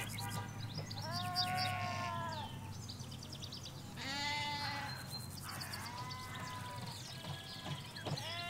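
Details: Hampshire countryside flock of ewes and lambs: repeated drawn-out bleats, some long and gently falling, others shaky and higher, several animals calling in turn over a background hum of far traffic.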